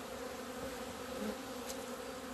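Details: Honey bees finally emerging into February sunlight, 17 February 2020, following two months inside. A dense, level humming drone continues without pause, with a brief faint tick near the end.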